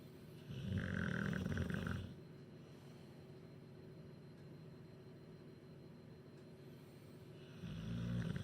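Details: Sleeping bulldog Duke, from Huddersfield, after a chicken curry: two loud, throaty snores, one near the start and one at the end, separated by about six seconds of soft, quiet breathing.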